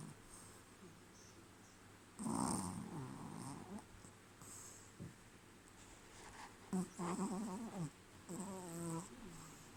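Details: A sleepy baby Pekingese puppy snores in rough, low rattling breaths with snuffly, wheezy overtones.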